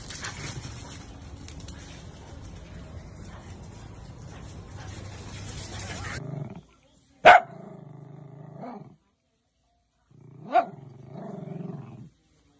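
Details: Pet dachshund, a sausage dog, giving two sharp, short barks about three seconds apart indoors, following several seconds of steady rushing noise, with low murmuring sounds between the barks.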